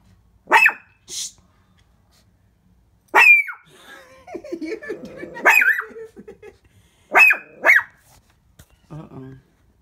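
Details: Shih Tzu Papa barks repeatedly at the window indoors: sharp, high barks, some in pairs, mixed with a woman's chatter and a soft final yip.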